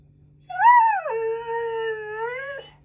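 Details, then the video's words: Talkative Alaskan Malamute puppy Maggie, wary of her new squeaky alligator toy, lets out one clear howl that rises, bends down, then holds long and steady for about two seconds before breaking off. "Cute Malamute Puppy Scared Of Her New Toy (Talks and Howls)"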